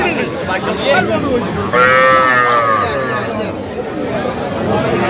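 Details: Sahiwal calves and bulls at a cattle market in Manikganj, Bangladesh, on 10 September 2025, where farmers are buying small bulls and heifer calves. One drawn-out, tonal moo rises and falls over about a second, with crowd chatter and bargaining voices all around.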